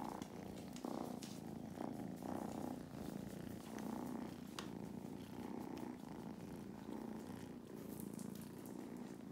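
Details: Two domestic kittens purring during lap time on a farm in County Kilkenny, Ireland; a steady, low, motor-like rumble runs unbroken throughout, swelling and easing gently with each breath.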